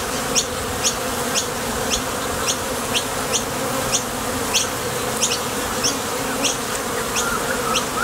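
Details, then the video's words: Honey bees at the entrance of a top bar hive, leaving for and returning from the field to forage for nectar; a dense, steady droning buzz throughout, with faint high clicks repeating about twice a second and a brief thin whistle near the end. "Bees Sound Effects | WHITE NOISE | RUIDO BLANCO RELAJANTE Sonido de las Abejas."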